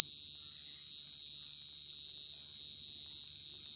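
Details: Cricket calling alone: a sharp, ringing high trill held steadily throughout, its rapid pulses evenly spaced, against a quiet background.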